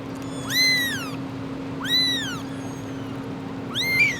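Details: Three high, rising-then-falling kitten meows about one and a half seconds apart, from an abandoned stray found freezing after two days in -11°C snow; a steady low hum runs underneath.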